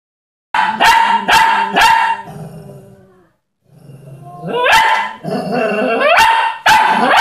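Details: Dog barking while pestering the neighbour's cat: sharp, bright barks in a quick run of three, a pause, then a rising whiny bark and more abrupt barks, with growly, whining tones between them.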